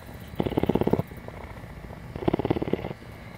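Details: Short purring bursts from Tawney, a captive female cougar at CARE, Bridgeport, Texas: two brief throbbing pulses about two seconds apart, each under a second, over a soft low background hum.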